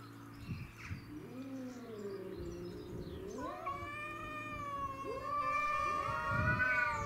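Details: Domestic shorthair cats Tom and Mimi squaring off with a grey-and-white neighbourhood stray over territory; low wavering growls rise into a long steady high yowl, another cat answering beneath with a deeper moan.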